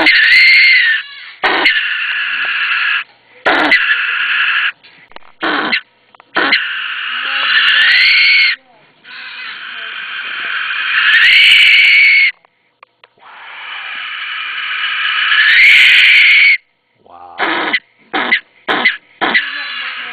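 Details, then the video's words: Captive common brushtail possum kept outdoors in a temperate mountain climate, highly vocal when disturbed: loud harsh rasping screams in long bursts of one to three seconds, broken by short gaps and ending in quick clipped bursts. "Screaming Brushtail Possum"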